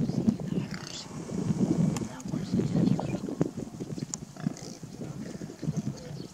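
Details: Wild boar herd grunting and squabbling, rough low grunts crowding together in uneven bursts with occasional sharper squeals.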